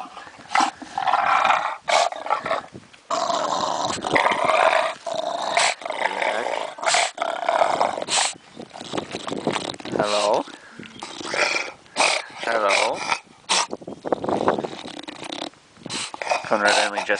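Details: Conrad, a stubborn pet bulldog, growls and grumbles in rough bursts with some sharper yips, broken by short pauses; a person talks to him in between.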